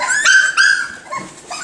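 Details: Miniature Schnauzer puppies, five and seven weeks old, exploring indoors; high, harmonic whining yelps in two short bursts, then softer fading whimpers, with people talking nearby.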